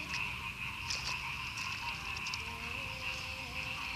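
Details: Chorus of frogs in rice paddies near Madiun, Indonesia, following a night of torrential rain and gusty wind; a continuous shrill, buzzing wall of calls peppered with crisp clicks, with a faint low whine appearing in the second half.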